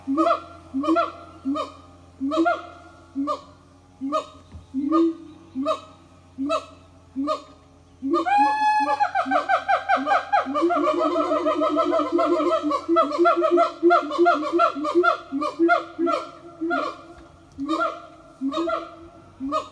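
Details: A Siamang family sings a morning song together at an eco-tourism farm: steady, honking barks about every second, then a sudden rising burst and a dense, loud chorus.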